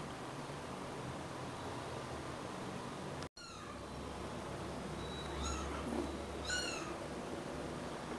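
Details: About 3-week-old rescued stray kittens, a litter of four, living indoors in Greece and fed formula milk. After a quiet stretch, two short high-pitched mews sound about a second apart against steady low room noise.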